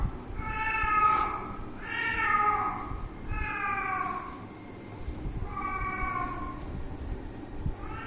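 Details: Cat at play with its owner, meowing repeatedly in short rich-toned calls about once a second, some rising then falling, with a quiet noisy background.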